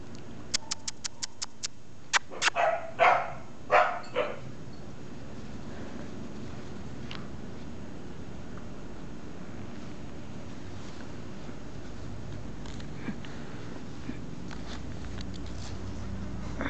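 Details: A female Pembroke Welsh Corgi puppy in Brazil, playing, gives a few short, high yips and barks, followed by quiet room noise.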